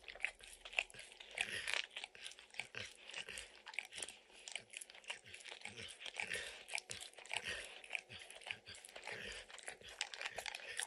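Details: Domestic dog eagerly working peanut butter and kibble out of an orange lick mat, making rapid sticky tongue clicks and occasional crunchy bites in a continuous wet rhythm, with no voices.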